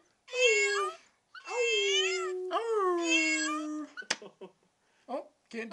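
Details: Teacup Chihuahua howling along with a meowing cookie jar while family howls in the background: three drawn-out, wavering tonal howls, the last the longest, followed by brief rustling and a few short voiced sounds.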